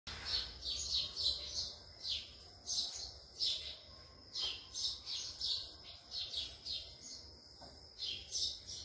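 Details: A friendly wild Indian palm squirrel eating grapes gives sharp high chirps, repeated about three times a second in a steady run, over a faint low hum.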